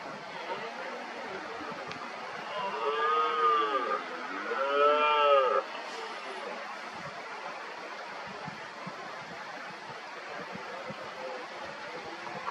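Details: Red deer stags roaring in the 2023 rut, agitated males among hinds, ready to take on a wounded dominant stag; two strong, rising-then-falling bellows about two seconds apart, followed by a long stretch of faint distant roaring.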